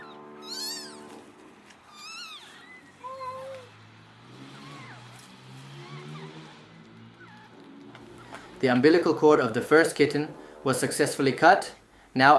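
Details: Abandoned kitten, left freezing for two days in -11°C snow before being rescued, gives several high, wavering meows in the opening seconds, followed by loud overlapping voices and music.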